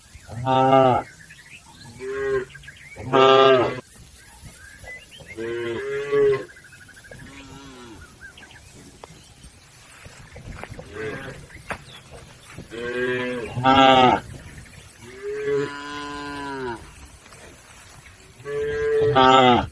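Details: Cattle crossing a river toward the livestock pen, lowing repeatedly; many overlapping moos from several animals, short and long, strong harmonics, over constant low background noise.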